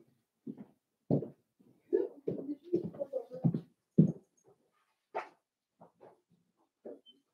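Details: Four-week-old Cavalier King Charles Spaniel puppies from Daisy's litter in their indoor pen give a run of short, low whimpering grunts and squeaks in irregular bursts, with one higher yelp near the end, in a quiet small room.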